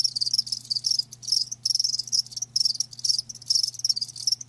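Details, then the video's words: Live crickets give high, buzzy chirp trains lasting about half a second each, separated by short pauses, with a faint low hum behind. "Live Crickets 60min "Natural Sound""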